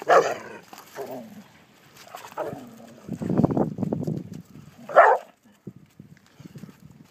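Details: American Pit Bull Terriers trying to mate, the female getting angry; rough snarls and barks with a longer low rumbling growl in the middle, then a sharp bark and quieter scuffling.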